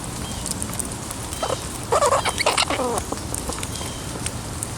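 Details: Nibbler, a wild pet squirrel living in trees outside a home, squeaks while feeding in a rain shower as he is poked and petted; a short burst of wavering, squeaky calls midway over steady rain patter.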